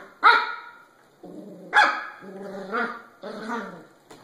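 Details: Puppies bark loudly twice about one and a half seconds apart. Softer, lower whining yelps with clear harmonic tones fill the gaps.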